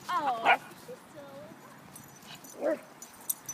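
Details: A dog playing chase, the toy Australian Shepherd chasing the mini American Eskimo dog, gives a short high whine and yelp near the start and another about two seconds later, with people chatting nearby.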